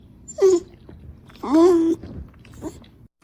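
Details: Pepper, a rescued female dog, whines softly as her owner is about to leave the house: two drawn-out, wavering whimpers, the second longer, followed by a faint short whimper in a quiet indoor room.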